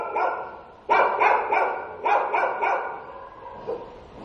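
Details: Stray dog barking by day: a sudden string of five or six rapid, evenly spaced barks, then fading to a single softer bark at the end.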